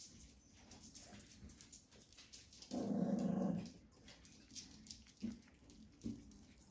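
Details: Puppies snuggling up to nurse on a farm in County Kilkenny, Ireland, one giving a short, low grumbling whine of about a second amid soft scattered squeaks, snuffles and rustling in a quiet room.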